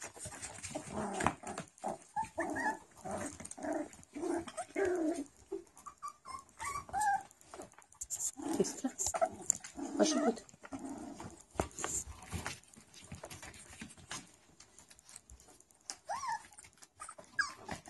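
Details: Four-week-old Schapendoes puppies yip, whine and give small growls as they tumble together in play, recorded in 2016.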